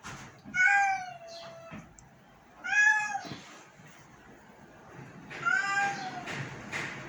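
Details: {'caption': 'Very sick domestic cat giving three long plaintive meows, each a steady tone that curves gently downward, roughly two and a half seconds apart, over soft room noise.'}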